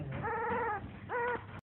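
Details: A newborn puppy lets out one long, level, piping whine and then a shorter rising-and-falling cry, clear against a quiet background.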